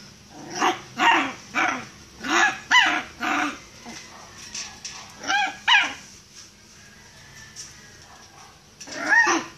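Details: Miniature Pinscher shut in a cage and wanting to come out: a run of sharp, high barks in quick bursts, some sliding into whiny yelps, pausing mid-clip, then one last yelp at the end.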